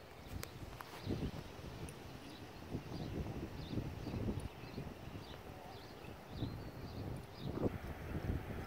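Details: Footfalls of Echo, a 6-year-old registered Appaloosa gelding and former trail horse, asked to extend, jog, turn around and switch leads at night; muffled rhythmic thumps over a low rumbling background, faint distant chirps above.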